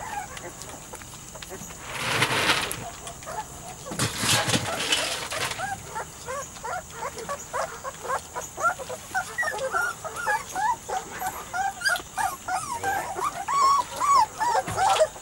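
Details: Weimaraner x Vizsla puppies aged three to four weeks. Two loud rustling bursts come first, then a growing, rapid stream of high squeaky whimpers and yips from several pups, overlapping toward the end.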